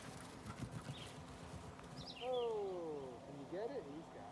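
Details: During a game of fetch in July 2020, a person speaks, then a beagle gives a mournful howl sliding downward for about a second, then a brief bent rising-and-falling yelp, with rustling and voices behind.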